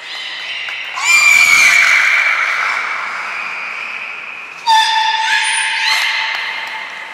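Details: Beluga calls from Mirai and Nico in training at Port of Nagoya Public Aquarium, 20 February 2021: a loud, whinny-like harmonic squeal that slides and fades, then after a pause a sudden sharp onset into steady layered whistles.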